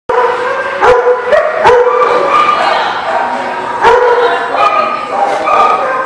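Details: Dogs barking on 21 February 2020: loud, overlapping bursts of harmonic barks and higher yips, several sharp onsets close together, with a steady chorus of yelping between them.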